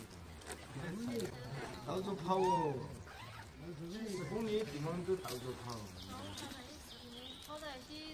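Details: Baby wild macaque crying loudly after being bullied by its mother: a run of wavering, arched, harmonic cries that rise and fall, repeated in quick bursts with short breaks, over faint outdoor background noise.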